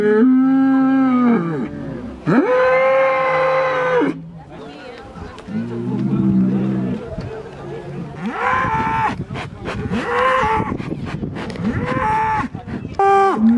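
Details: Bulls roaring in threat ahead of a bullfight in Chupas, Ayacucho, during Holy Week; long drawn-out harmonic bellows, some sustained two seconds, mixed with crowd voices and faint music between calls.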